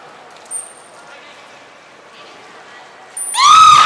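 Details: Beluga at the Port of Nagoya Public Aquarium during a training session with Mirai and Niko, 20 February 2021; thin high whistle tones, then a loud, brief, squawky call rich in harmonics that rises and bends downward at the end.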